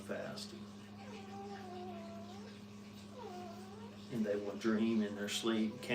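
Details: Brittany puppies with their mother: two long, arched whimpering whines, each swelling and falling over about a second and a half, followed by a person talking and clattering noises, with a steady electrical hum underneath.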